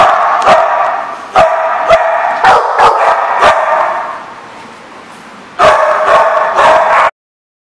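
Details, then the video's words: Dogs barking on 22 September 2014, with loud overlapping barks for about four seconds. The barking fades to a quieter stretch, then a second burst of rapid barks follows before an abrupt stop. "The Barking Lot"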